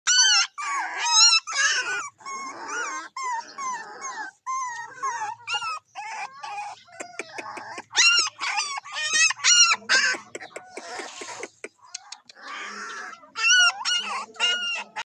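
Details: Several small white Pomeranian puppies whining and yelping: dense, high-pitched, wavering squeals and short yips overlapping in quick bursts, often several a second, with no other clear sounds.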